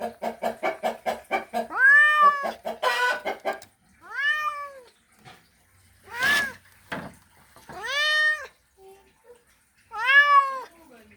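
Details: Male cat calling to a female in a mating call: a rapid run of short pulsed meows, then four drawn-out, arched yowls spaced a couple of seconds apart, with a brief broadband rasp between them.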